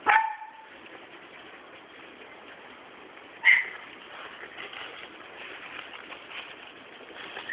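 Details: Sealyham Terrier AKARI yelps briefly at the start. After several seconds of quiet hiss, a second short, bright yip follows, then faint rustling and one more clipped note at the very end.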